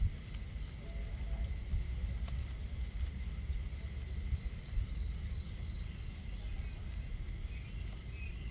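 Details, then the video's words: Crickets on a starry night at a campsite. Short, high chirps repeat steadily about three to four times per second over a constant low rumble of crackling fire and running water. "Camping Ambience On A Starry Night | Crackling Fire, Crickets, Water Sounds"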